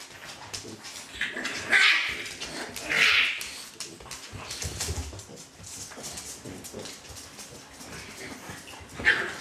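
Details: Litter of young dogs, with two loud high squealing whimpers early on, a short sharp yelp near the end, and faint overlapping whines, rustling and movement noise throughout.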